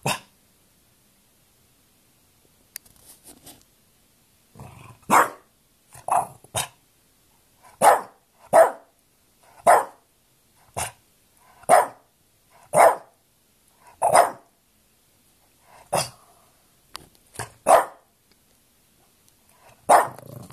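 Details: French Bulldog Dinky quarrels with a steady run of loud, clipped barks spaced roughly a second apart, a few grumbling lower sounds early on, and otherwise quiet in between.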